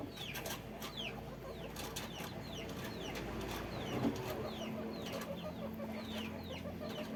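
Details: Guinea pigs on a farm give scattered, thin, downward-sliding squeaks, fairly faint above rustling and a low rumbling background.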